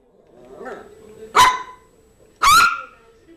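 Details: Yorkshire terrier named Zizel, playing with her new mouse toy, gives two sharp, high-pitched barks about a second apart, each a short bright burst. Soft murmuring is heard faintly before them.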